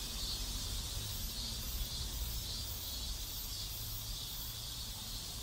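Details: A South Korean neighborhood chorus of cicadas, a continuous shrill buzzing wall of sound with slight rhythmic pulses roughly twice a second, layered over a constant low hum.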